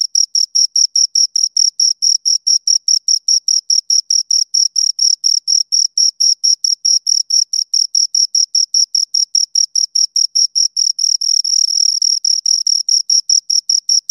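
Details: Two crickets chirping steadily, a high, clean pulsed trill of short chirps about four per second, briefly blurring into a continuous buzz near the end before the pulses return; no other sounds.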